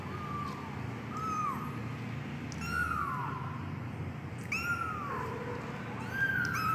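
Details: Medium-coat Persian kitten giving a run of short, high, falling meows, several in quick succession with harmonics, repeated about every second or two against a low constant room hum.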